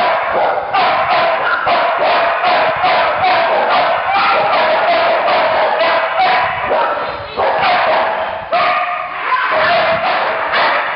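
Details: A Staffordshire Bull Terrier barks in rapid, excited bursts over a busy, noisy background at flyball practice.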